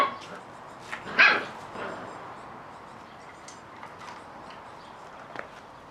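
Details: Catalan Sheepdog puppies, offspring of Bonny and Elgoche, at play; one sharp, bright yelp near the start, then a fainter second note, with soft rustling and low background hiss between.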